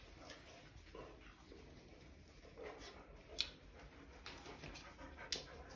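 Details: White male Boxer dog indoors, unhappy with his new bone-shaped ID tag, gives soft breathy pants and faint whimpers in a quiet small room, broken by a couple of sharp metallic clinks from the tag.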